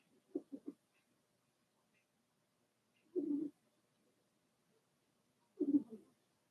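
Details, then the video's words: Four-week-old Cavalier King Charles Spaniel puppies from Daisy's litter in their puppy pen: three quick low grunting whimpers, then two longer, fuller low moans a few seconds apart, with quiet gaps between. "Daisy's Cavalier Puppies Livestream: 4 weeks old"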